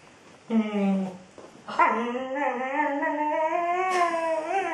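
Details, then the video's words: Female Border Collie singing and talking to her ball indoors: a short moan, then a long, slowly rising howl held for about three seconds with steady harmonics. "princess the border collie singing/talking to her ball"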